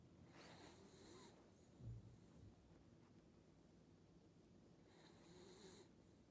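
A sleeping corgi snores softly, two long breathy rasps several seconds apart.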